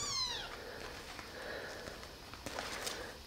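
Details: Abandoned baby kittens rescued from the street, now in a warm basement, walking and being fed milk from a syringe; one sharp high meow sliding downward opens, followed by quiet rustling and small clicks.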